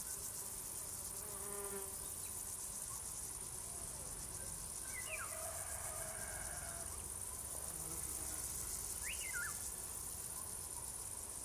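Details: Singing crickets keep up a constant high, finely pulsed trill; scattered brief chirps from other creatures and a soft low rumble sit beneath the chorus.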